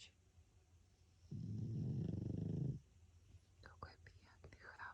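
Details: Sleeping pug François gives one long, drawn-out snore, a low, rough, vibrating rumble of about one and a half seconds, followed by gentle whispering.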